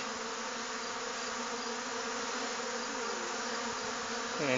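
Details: Honey bees from other hives robbing a small, recently hived swarm during a dearth; continuous thick buzzing of many bees, steady and unbroken, with a short voice at the end.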